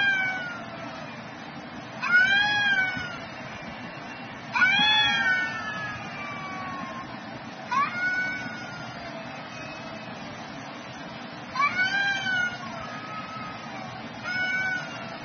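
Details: Two cats clashing at midday trade loud wailing yowls, each a bright swelling cry that bends downward, five bursts roughly every two to three seconds over steady low background noise.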